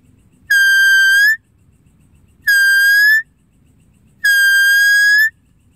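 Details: Three drawn-out, steady, whistle-like deer calls, each about a second long with rich harmonics, rising slightly at the end. Spaced about two seconds apart against a faint low rumble.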